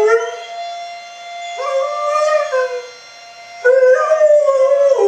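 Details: Domestic dog howls at a fire alarm, its voice bending up and down in drawn-out, quavering notes, with a brief dip in loudness before a stronger, higher howl near the end; a steady alarm tone runs beneath.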